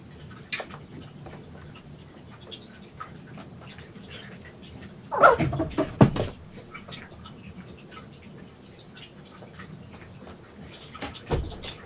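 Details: Red tabby-and-white male kitten, rescued at one day old and raised indoors in a cat room, on day 62 of care: one falling, curved meow-like cry near the middle, surrounded by thumps, rustling and play noises.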